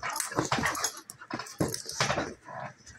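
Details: Play fight between two female dogs, a German Shepherd almost a year old and a Golden Retriever mix: deep, rumbling growls and snarling barks come in quick bursts about every half second.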